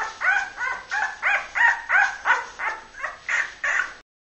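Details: Labrador Retriever puppy from the Honeydark H litter, born 23.02.2012: a clear, regular series of about eleven short, bright yelps, roughly three per second, each slightly falling, before sudden silence.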